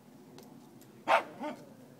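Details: A four-month-old Dobermann-Pinscher puppy at play gives one short sharp bark followed by a softer second yelp, over quiet background hiss.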